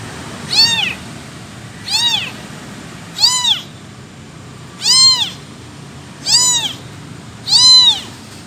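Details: Six shrill meows from an abandoned kitten calling its missing mother, evenly spaced near 1.4 seconds apart, each cry bending up and down, with a quiet low hum behind.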